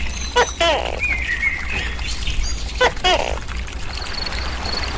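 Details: Tokay gecko kept on a cricket diet sounds two paired calls, each a sharp bark-like note and a lower harmonic croak, about two and a half seconds apart, with soft bird whistles and low rumble behind.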